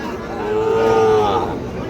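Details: Seven-to-eight-month-old Sahiwal bull calves at a livestock market in Ambari Hat, Dinajpur, Bangladesh, 26 June 2026; one flat, harmonically rich moo of about a second, with men talking and bargaining around it.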